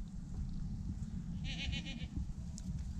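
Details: A quiet, wavering, high bleat lasting about half a second comes from the year's first newborn goat kid, nearly buried under a constant deep rumbling background.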